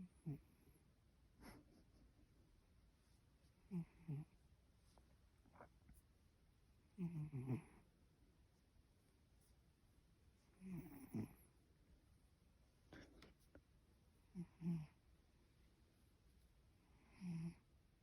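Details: Domestic cat asleep indoors, snoring in a snuffly, human-like way: low rasping snorts, one roughly every three to four seconds, with quiet pauses between them.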